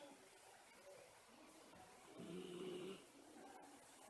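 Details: Miniature Schnauzer napping in the daytime, one drawn-out whistling snore lasting under a second, a thin steady tone over a breathy hiss, then quiet room noise.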